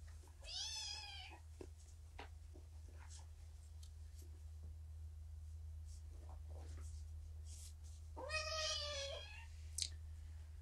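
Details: Rescued kittens from a litter of five at Purrfect Pals enjoying morning pettings and snuggles; two short, bending meows, one near the start and one near the end, with soft handling noises and low hum in between.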